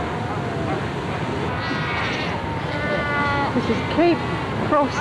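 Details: Cape fur seals at the Cape Cross Seal Reserve colony on Namibia's Skeleton Coast in 1992, fighting and rearing pups: wavering, bleat-like harmonic calls overlap and rise toward the end over a steady roar of surf and wind.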